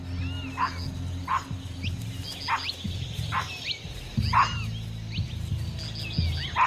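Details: Sharp-eyed capuchin monkeys in daylight forest give sharp, repeated alarm barks on spotting a nearby puma, mobbing it and warning other animals, over a low musical drone.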